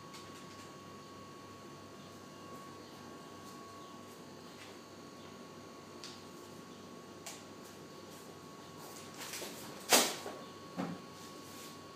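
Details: A quiet indoor room with a steady electrical hum and a few soft knocks and clicks; no animal sound is heard.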